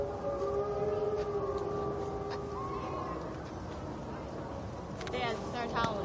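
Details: Gray wolves at a zoo howl together in long, even tones that overlap into a wavering chorus, some notes sliding gently in pitch; brief human voices break in near the end over a low background rumble.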